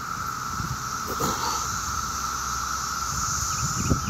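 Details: Maryland summer daytime chorus of 17-year cicadas emerging in mass numbers: a continuous, level buzzing tone that fills the air, a softer hissing layer higher up, and passing street traffic below.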